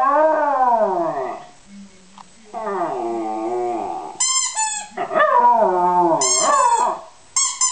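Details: West Highland White Terrier singing, with long wavering harmonic howls that slide down, then rising and falling yodel-like notes and sharp high squeaky yelps near the end.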